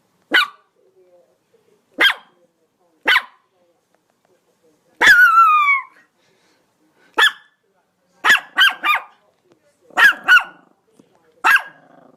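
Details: Dog giving loud, short barks, some doubled or tripled in quick bursts, with one longer whining, falling bark in the middle.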